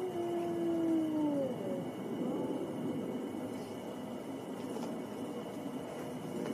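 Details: A wolf howls in a long, steady, low tone that slides downward at its end, with a fainter higher howl overlapping and a steady background hiss.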